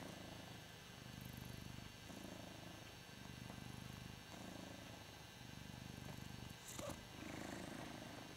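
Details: Ragdoll cat Hoss, enjoying being adored, purrs steadily: a deep rumbling hum that swells and eases in regular breathing cycles about once a second, with a short click partway through.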